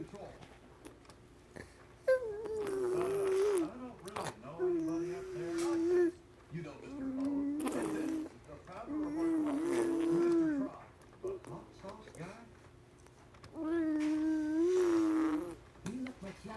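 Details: A fox, recorded 05-02-2017 while chewing on his rattle, gives drawn-out, wavering whines mixed with the rattle's sharp clatter.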